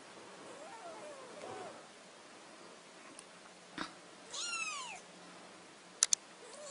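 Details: Kitten just woken from sleep giving a few thin, high arched mews, the clearest one near the end, over a low steady hiss with a couple of sharp clicks.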